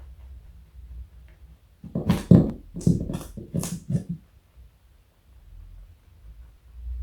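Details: Pet bunny Joey, 4.6 kg and more than 60 cm long, eats carrot inside: after a quiet start, a cluster of sharp crunching bites for about two seconds, then silence again over a soft low background hum.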